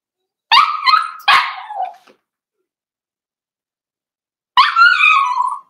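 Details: Four-week-old Cavalier King Charles Spaniel puppies in a home puppy pen, meeting other dogs: two quick high yips that slide into a tonal whine, a pause, then one longer wavering whimper that trails off.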